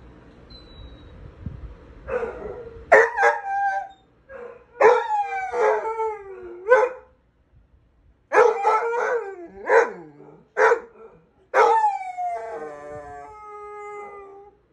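A Basset Hound howls in long, wavering bursts broken by short barks and yelps.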